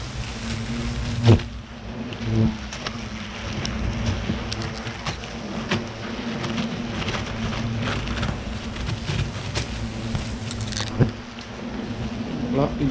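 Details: Asian hornets swarming and agitated around their large nest as it is opened and destroyed at Ciney, attacking the person; a steady low buzzing hum with faint overtones runs throughout, over rustling, handling clicks and knocks.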